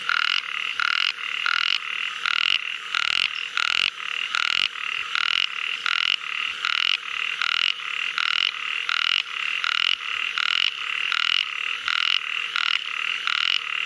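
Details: Ornate narrow-mouthed frog giving a long run of rapid, rasping, nasal croaks, packed closely one after another with only brief breaks, some bursts slightly longer, over a quiet background.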